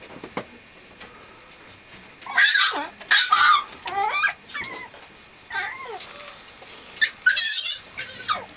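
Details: Male Mame Shiba puppy from a Japanese breeder, producing wavering, up-and-down whines and short squeaks in uneven bursts, mixed with rustling handling noise.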